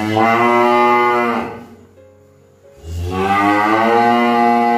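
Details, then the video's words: Two sustained, loud cow moos separated by a brief pause of about a second, each a steady, deep, harmonic bellow. "Suara sapi | cow sound"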